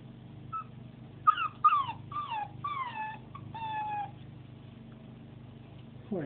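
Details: Nine-week-old Pembroke Welsh Corgi puppy, only a few hours in a new home, crying at being alone: about six high, thin whines in quick succession, each sliding downward, fading after four seconds, with an owner's soft soothing voice.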